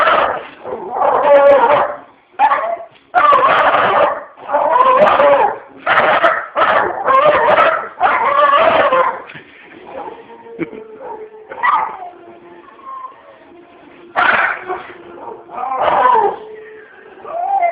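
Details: Pet dog barking at dogs on the TV: a run of loud, rough barks in quick irregular bursts for about nine seconds, then softer television sounds broken by a few more barks and yips.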